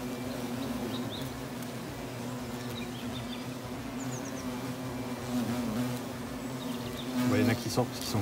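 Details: European hornets entering and leaving their treated nest: a long, steady low buzz from several insects, swelling louder toward the end as one flies near, with faint background noises.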